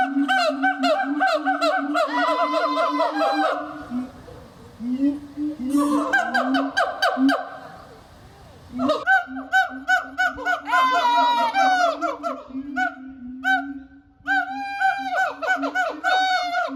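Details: Captive siamangs at Japan Monkey Center, Inuyama, Aichi, on 22 December 2025 in winter, inflate their throat sacs to resonate loud, ringing calls in rapid series of short shouts, occasionally a high 'aaa', as a territorial chorus asserting territory.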